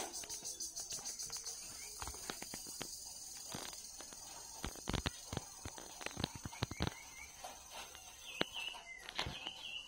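A cricket trills in a steady, high-pitched pulsing buzz, broken by loud clicks and footsteps.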